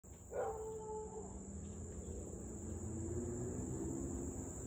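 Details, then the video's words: Siberian Husky barking and howling for nearly 30 minutes straight, recorded 3 August 2021 at 6:24 pm from a distance: one drawn-out, slightly falling tonal howl lasting about a second, then fainter low tonal traces under a steady high electrical-like hum. "Husky to barking and Howling nearly 30 mins straight."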